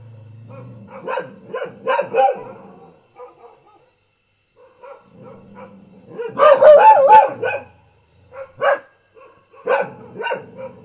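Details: Thai village house dog barking irregularly: short groups of barks, a quiet stretch, then a loud run of rapid barks and a few scattered single barks.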